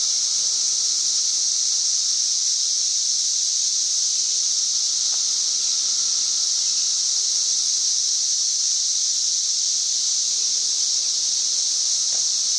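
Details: Cicadas calling from tree canopy on May 31, 2024, registering about 90 decibels; a relentless high buzzing wall of sound, steady for the whole stretch, with a couple of faint clicks in the background.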